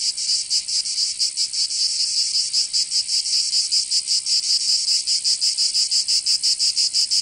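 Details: Cicada song on a summer day in Provence, France: an intense high-pitched rasping drone broken into quick rhythmic beats, some pulses blurring together, no birds or people heard.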